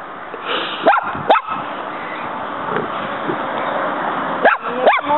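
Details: Pet dog Muñeca, female, tries to fight a praying mantis found in the yard, which keeps fighting back. Two pairs of short, sharp yelping barks, each sweeping upward, are separated by a few seconds of background hiss.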